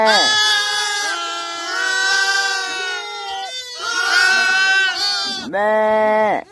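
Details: Young lambs gathered by Mongolian nomads in spring, shivering in the cold and listening for their mothers, cry out together: overlapping drawn-out bleats, then a sharper, separate bleat near the end.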